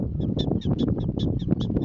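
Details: Prairie dogs warning each other of danger: a fast series of short, sharp, high chirps, roughly five per second, over a steady low rumble of wind or handling noise.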